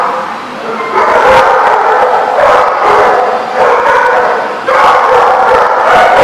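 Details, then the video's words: Dogs at The Barking Lot, recorded 25 April 2014, bark in loud, overlapping bursts: a dense mid-pitched racket that swells around one, two and a half, three and nearly five seconds, with a constant clamour between the peaks. "The Barking Lot"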